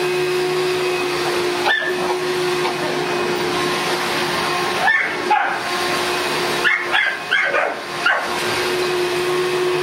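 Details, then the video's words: A Boston Terrier confronts a vacuum cleaner indoors, letting out a few isolated barks and then a quick cluster of four or five yapping barks, all set against the steady humming roar of the running machine. "Boston Terrier VS Vacuum Cleaner"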